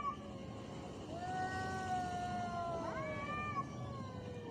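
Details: Angry fighting cat giving a drawn-out, steady moaning yowl that rises sharply near the end, held for several seconds over a low background rumble.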